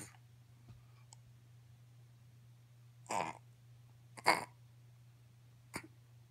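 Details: Pekingese; whine; asking to be lifted down from the couch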